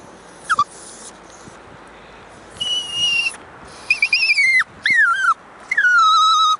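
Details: Toy Poodle puppy named Twyla, a six-month-old female out on a walk on a nice day, sings in a few high, thin whines, some sliding downward, separated by quiet gaps.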